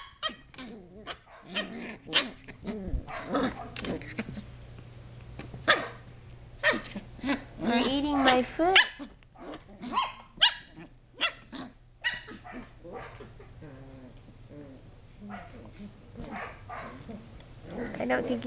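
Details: Seven-and-a-half-week-old Shetland Sheepdog puppies playing indoors in a great room, climbing, jumping, wrestling and chewing, giving short high yips and barks in scattered bursts, with a woman talking to them throughout.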